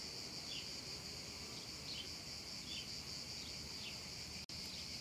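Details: On a hot summer afternoon in a meadow, cicadas keep up a continuous shrill buzz, even and unchanging. Small brief chirps sit just beneath it, and a sharp click cuts in near the end.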